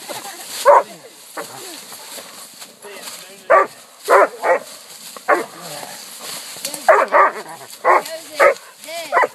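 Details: Pack of four coonhounds, Walkers, Black and Tan and Bluetick, aged 8 months to 6 years, barking at a treed raccoon at a new hunting spot. Repeated sharp barks, sometimes in quick pairs, from several dogs at varying distances over steady background hiss.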